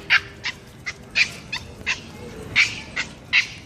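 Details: Pomeranian puppy playing with another small dog; a run of short, sharp, high yips, about eight in under four seconds, spaced unevenly, over a quiet indoor background.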